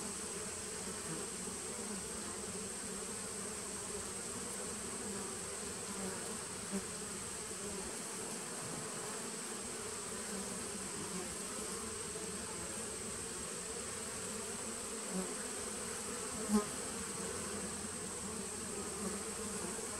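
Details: Drone of a honey bee nucleus hive established in 2017, captured 19 September 2018. A dense, constant hum lasts twenty seconds without pauses, over a faint high-pitched whine, with a single sharp click late on.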